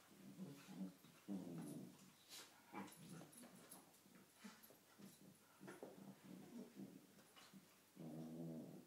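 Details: Morning play fight between two cocker spaniels, with deep, rumbling growls in long harmonic bursts, a sharp snarl near the start and another sustained growl at the end, with scuffles and light thumps between.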